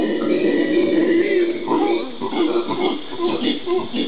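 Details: Howler monkeys (genus Alouatta), Brazilian Pantanal, 13 January 2011: a sustained hollow, moaning roar lasting over a second, then choppier rough howl notes rising and falling to the end.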